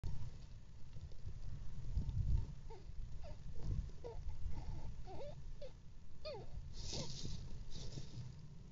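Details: Mother squirrel with her 3-day-old babies: thin, squeaky notes that bend up and down, coming in a loose series through the middle seconds above a steady low rumble.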